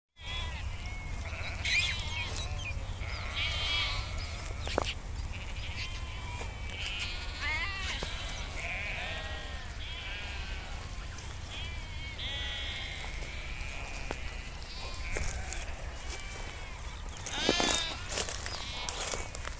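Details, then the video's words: Nomadic sheep herd grazing in nature in Kashmir; many overlapping harmonic bleats, some wavering and rising, rise and fall throughout, with a steady low rumble underneath and occasional sharp clicks. "Beautiful sound of sheep grazing in nature"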